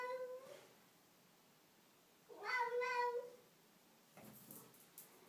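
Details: Domestic cat meowing in a bathroom: two clear harmonic meows, a short one at the start and a longer, wavering one near the middle, then a brief rustle; a person speaks Greek just before.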